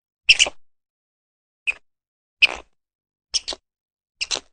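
A squirrel gives sharp, high, clicking chucks, some doubled, spaced about a second apart.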